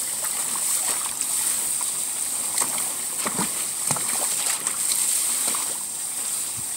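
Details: A constant broadband hiss fills the background, topped by a thin high-pitched whine, with brief knocks and splashes breaking through now and then. No animal calls stand out.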